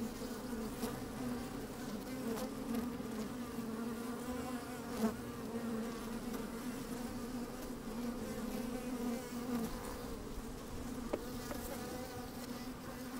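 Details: Honey bees busy inside an open hive on a fine, sunny day, microphone slid down among them: a steady low hum with strong bands throughout, faint occasional clicks, and a light breeze.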